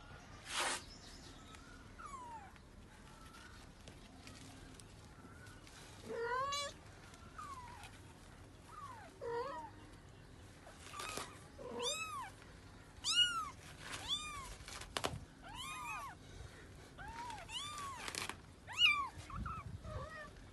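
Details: Mother cat looking for her kittens and weeping: scattered rising-falling meows at first over a low hum, then from midway a dense run of high, arched, overlapping meows repeated almost every second.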